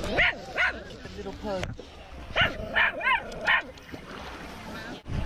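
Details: Off-leash dogs approaching a man at Lake Nacimiento give short bursts of sharp barks in two quick clusters, separated by a quieter gap. A man's voice is also heard.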